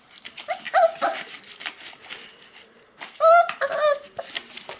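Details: Cocker Spaniel puppies, 44 days old, whimpering: short, high, bending whines in two bursts, one near the start and a louder one after a brief pause, over constant rustling and scratching.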